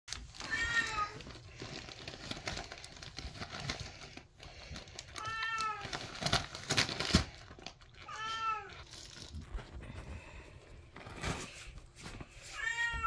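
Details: Samoyeds indoors at Christmas as Calla opens a present of fish skins and her brother Willow protests in the background: four high, whining cries with rich overtones, spaced about three to four seconds apart, over paper crinkling and rustling.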